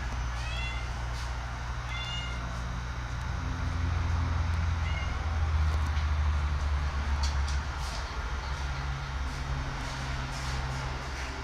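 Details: Domestic cat eating bok choy, which it likes. It gives three short, high, slightly rising meows near the start, at two seconds and at five seconds, over a constant low engine-like hum and faint clicks.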